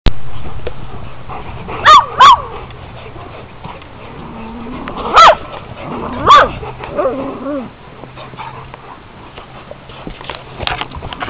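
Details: Newfoundland at a dog daycare giving four loud, short barks in two pairs, around two seconds and five to six seconds in, over a low steady hum and quieter background dog noises.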